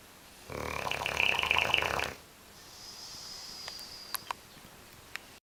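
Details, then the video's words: Bulldog Oscar asleep and snoring: a single harsh, rattly snore lasting about a second and a half, then near-silence with a faint high whine and a few small clicks. "Oscar the snoring bulldog"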